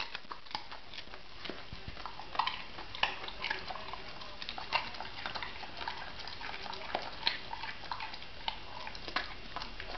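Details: Homer, an English Springer Spaniel, crunching on a leftover carrot indoors; sharp irregular crunching bites scattered through ten seconds, with a person's voice praising him as a good boy before and after.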